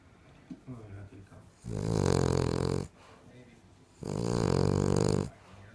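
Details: A female King Charles Cocker Spaniel, said to snore louder than any person, gives two loud, drawn-out, deep buzzy snores over a second each, with quieter breathing and soft snuffles between.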